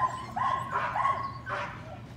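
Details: Patterdale Terrier puppies at evening rat work in their pen: a sustained high whine that breaks into excited yelps and rising squeals, then a final burst before fading to low background hum.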